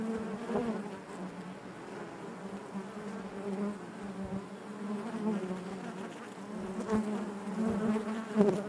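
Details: Inside a honey bee hive, a steady droning buzz from many bees, even in loudness with slight rises and dips, rich harmonic layers above the deep hum.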